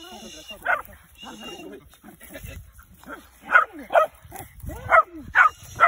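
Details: Dog in training to hunt tegu lizards, giving a few muffled yelps followed by a burst of loud, sharp barks in the second half, with speech and scuffling noises early on.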